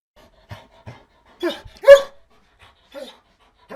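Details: Begging dog gives short, sharp whimpers and yelps in brief bursts, a louder high squeal near the middle, with soft breathy sounds between and near silence around them.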